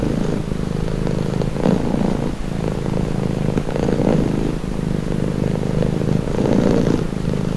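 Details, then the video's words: Calming purr of a cat, deep and even, its rumbling broken into gentle breathing swells every second or so, with light scratchy noises in the background. "Purring cat"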